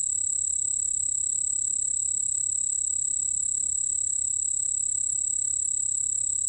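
A white-whiskered bell cricket sings a continuous, shrill, high-pitched trill with a fine rapid pulse. The tone stays level and unbroken throughout, with only a faint low hum underneath.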